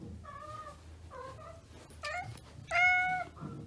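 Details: Frightened domestic cat uttering four drawn-out, harmonic meows, spaced about a second apart, the final one loudest and longest, above a faint low background rumble.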